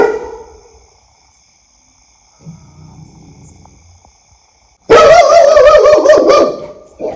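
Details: Dog barking in a dense, loud, harsh burst lasting about two seconds near the end, after a quiet stretch with faint low rumbling.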